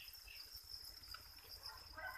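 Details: Farmed crickets raised on chick feed in a breeding enclosure give a steady, continuous high-pitched trill that holds one even tone throughout, over soft low rustling and patter.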